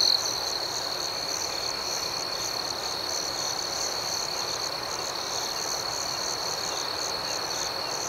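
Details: Crickets chirping at night in a calm outdoor setting, a steady, unbroken high-pitched trill with a faint pulsing shimmer above it, sustained evenly for the whole stretch with no other clear sounds.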